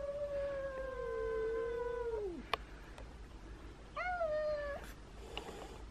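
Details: Small two-year-old domestic cat weighing 3.5 kg, meeting a much bigger cat: a long, level meow that sags and drops at the end, a sharp tap, then a second shorter meow rising into a flat tone.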